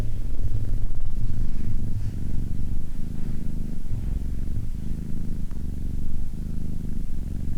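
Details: Cat purring close up: a rumbling low drone cut by short pauses about once a second as it breathes in and out, louder at the start and then settling slightly softer.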